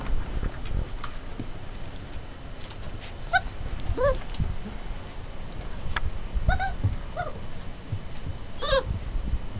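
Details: Turkmen Alabai puppies at 20 days old let out scattered brief whining cries, bending upward or downward in pitch, spaced a few seconds apart amid low rustling and muffled movement.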